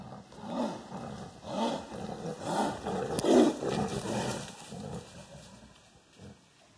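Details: A Siberian tiger, referred to as "she", roams the undergrowth of woods near Sokolovka, Lazovsky district, Primorsky Krai, Russia, beneath mushroom pickers up a tree, roaring in deep, throaty bursts about once a second.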